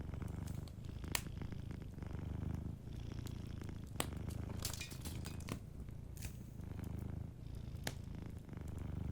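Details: A cat asleep by the fire gives a gentle, continuous low purr in rhythmic breathing cycles, with short gaps between phrases and scattered crackling from the fireplace.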